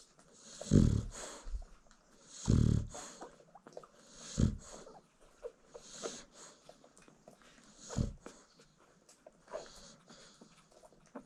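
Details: American Bully mother dog snoring while nursing her newborn litter indoors at a kennel: deep, rumbling low snores about every two seconds, with soft rustling and faint suckling noises from the puppies between breaths.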